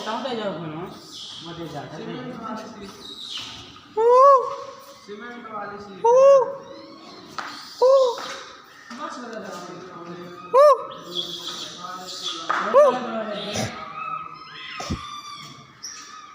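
A monkey gives loud, tonal coo-like calls that rise and fall, with people chattering in the background.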